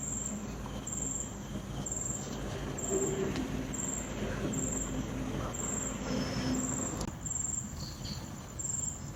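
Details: High-pitched cricket chirps at night keep a regular rhythm of one burst every second or so, set against a louder low rumble of wind and a few faint squeaks.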